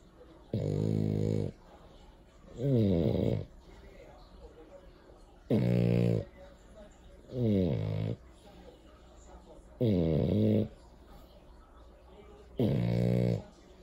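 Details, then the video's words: French Bulldog snoring: six loud, rasping, harmonic bursts, each about a second long, recurring roughly every two to two and a half seconds with quiet breathing gaps between. "French Bulldog Jordan Snoring"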